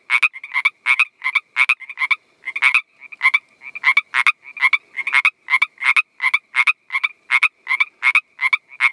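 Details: A male Northern Pacific treefrog gives its mating call, rapid, raspy two-part croaks repeated about twice a second.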